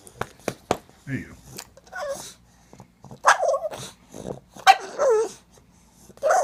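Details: Needy pug making noise to ask for more butt scratching indoors; short scattered grumbling whines and yelps in uneven bursts, with a man's voice and scratching taps between them.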